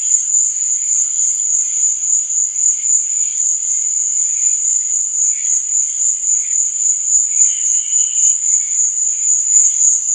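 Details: Crickets chirping after dark produce a dense, even high-pitched drone, joined by soft flickering chirps lower down and a brief louder trill toward the end.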